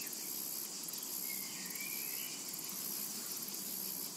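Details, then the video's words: A summer meadow chorus of cicadas: an unbroken, high sizzling drone with rhythmic pulses near the top, and one soft rising bird whistle partway through. "A Tranquil Summer Meadow | Summertime and Cicada Ambience to Relax to"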